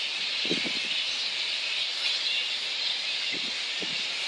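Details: Roosting little red flying foxes at Boonah, Queensland, Australia, 19 February 2014, before a daytime dispersal. A continuous shrill, hissy wall of squealing fills the whole stretch, with brief lower rustling bursts near the start and end.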